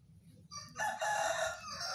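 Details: Two-day-old newborn puppies while sleeping; a soft start gives way to one sustained, high, tonal whining squeal lasting over a second, with faint low hum beneath.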